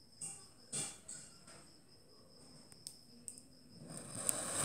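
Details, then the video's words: Click beetle, family Elateridae, clicking: several short, sharp snaps spaced irregularly, two loud ones early, then softer ticks, ending with rising broadband rustling noise over a constant high-pitched whine. "Clicking Click Beetle"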